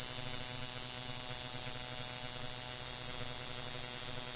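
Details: A black-winged grass cicada (Mogannia formosana, Green Island form), recorded in April on Green Island, Taiwan, sings a steady, very high-pitched buzz that runs unbroken throughout.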